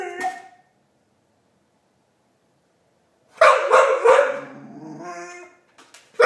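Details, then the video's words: Marley, a dog known for chewbacca noises, gives a short whine, then after silence a loud, rough series of yowling, grumbling bursts trailing into a lower moan, ending with a sudden sharp sound. "Marley making noises (chewbacca dog)"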